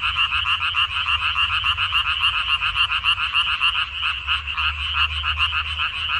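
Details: A crowd of frogs calling from a water dropwort field in mid-May 2021, their rattling croaks overlapping in a quick, slightly uneven pulse of several beats per second.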